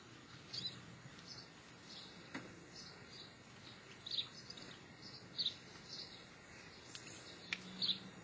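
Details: Geoffroy's marmoset, the white-headed or tufted-ear marmoset endemic to Brazil, gives short, sharp, high chirps in scattered bursts, about five across eight seconds, over a steady hiss of background noise.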